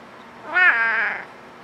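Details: Siamese cat asking for a cookie indoors: one loud, drawn-out meow with rich harmonics, rising then holding steady and fading after about half a second, with a quiet room behind.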